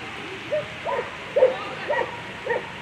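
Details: German Shepherd Rocarzja Puma at a World Championship agility event giving five short, mid-pitched barks spaced roughly half a second apart over a low murmur of background noise.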